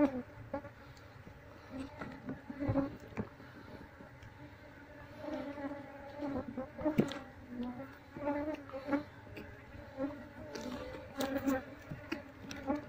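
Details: Wild honey bee colony buzzing as it is moved into a cardboard box once its queen has been found; a steady low hum with layered tones, swelling and fading, with occasional handling knocks.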